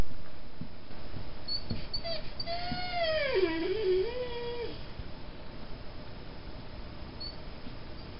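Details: Star, a half Mastiff, half Great Dane mix dog, whining: a long tonal whine wavering down and back up over about three seconds, dipping low in the middle before levelling off, over steady low background rumble.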